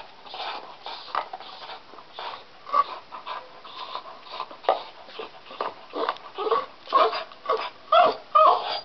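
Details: Deaf pet dog chewing on a stick indoors, unable to hear itself, giving soft irregular whimpers and cries amid gnawing and chewing noises, with a few brighter whines near the end.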